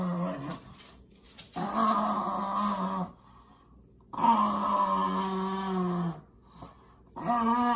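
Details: Two pugs indoors playing tug of war over a favourite shoe; deep, rough, drawn-out growls in long rasping bursts of about one and a half to two seconds, separated by short quiet pauses.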